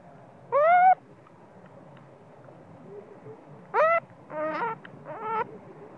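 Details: Sleepy, spoiled baby monkey screaming in anger at its mother, even while nursing. Loud, tonal cries with rich overtones, one long wail, then a cluster of three quick, rising, wavering shrieks, with soft low murmuring between.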